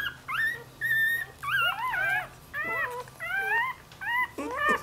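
A Dachshund puppy whines in high, bending, repeated notes while calling for its mother.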